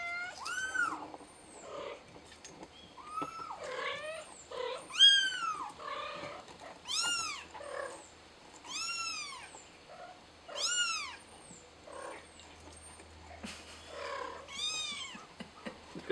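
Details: Billy the kitten crying for help while stuck up high: a long run of shrill arched meows, roughly one every second or two, some sharp and clipped, others drawn out, with faint background hum and occasional human voice.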